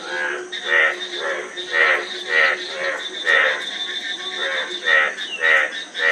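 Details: Slower, drawn-out frog croaks, each a grating, ringing note roughly every half to one second, merging with other callers into a continuous chorus over a high background hiss.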